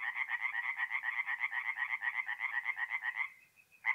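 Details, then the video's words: Tree frogs singing at night at a forest pond in mid-April in north-east Italy: a dense chorus of rapid pulsed croaks, about four per second, fading near the end before one last burst. "relaxing forest pond by night with singing tree frogs"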